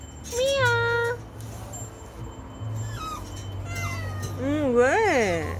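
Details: Cat meowing: a drawn-out, wavering meow near the start, a few faint short mews in the middle, then a louder rising-and-falling meow at the end, over a low steady hum.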